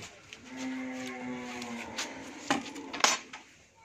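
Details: Friesian cow, first-calving, kept with her heifer calf at a dairy farm in Bhangura, Pabna, Bangladesh, gives a steady, level moo lasting just over a second, followed by sharp metallic clanks like dishes or pans.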